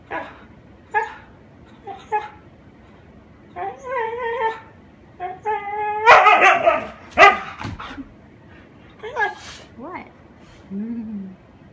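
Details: Husky playing with a paper bag produces a series of yips leading into tonal, wavering howl-like vocalizations with rich harmonics, some rising and falling, plus loud rustling bursts, ending with a low whine.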